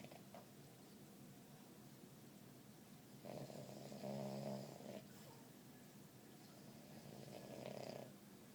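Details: A napping puppy named Cosmo snores, with two clear rattling snore breaths, one in the middle and one near the end, each a soft buzzy rumble over quiet indoor background hiss.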